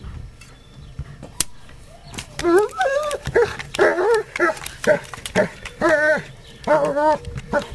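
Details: Astor, a German Shepherd, digging at a screen during garden work. Series of loud, wavering, high-pitched whining yelps, rising and falling, in bursts about every second, with a faint human voice in the background.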